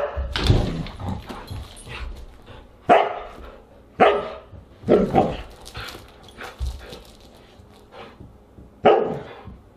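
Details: Siberian huskies barking at dinner time, August 30, 2022: a series of sharp barks at uneven intervals, some closely doubled, each with a quick attack and short fade, over low indoor rumble.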